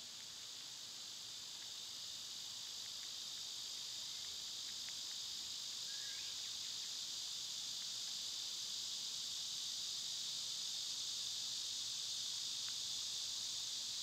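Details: Insect chorus of cicadas during summer: a continuous, piercing buzzy wash that swells gently louder, with sparse faint bird chips and one short rising chirp in the background.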